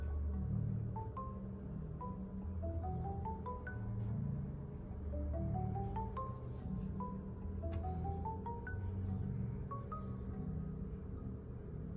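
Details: Soft marimba-like music plays throughout, its notes climbing in repeated runs over a steady low rumble. No animal sound stands out.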